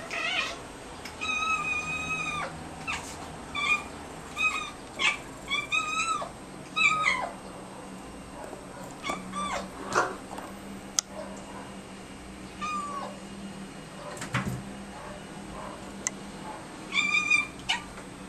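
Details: Two pet cats indoors, reacting after spotting a fly, trade a duet of short, chirping meows and bleating chatter. The calls come in quick bursts of two to five notes, with pauses between rounds, over a faint room hum.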